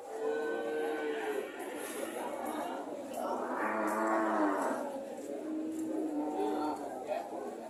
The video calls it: Sound of cow -